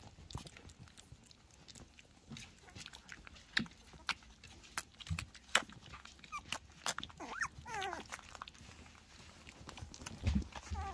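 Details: German Pinscher puppies, three weeks old, being handled, playing and eating in the crib; sharp clicks, taps and chewing-like noises dominate, with a few brief, bending high squeaks near the end.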